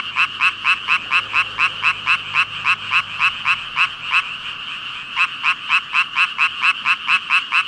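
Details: One frog calling loudly in front of a huge chorus of about 5,000 frogs: sharp pulsed croaks repeated about twice a second, each a bright burst, over a soft continuous background of distant croaking.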